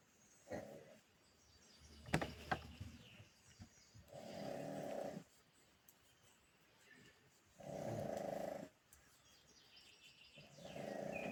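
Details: A pug asleep, snoring in steady rasping breaths roughly every three to four seconds, four snores in all, with a sharp click near the start and quiet gaps between.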